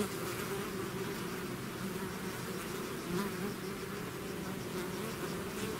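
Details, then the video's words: Swarming bees leaving their hive make a thick, steady hum, many wings blending into one low drone with occasional brief rises as single insects fly near. "bees therapy swarm natural buzzing sound"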